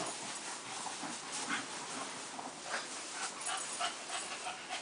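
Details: Dog called Sam attacking Shamu, giving faint high whimpers and yips amid a hissing, noisy background.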